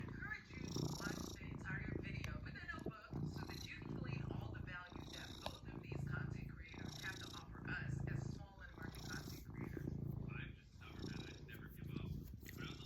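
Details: ['Domestic cat purring while kneading, a steady low rumble pulsing under a person talking throughout.']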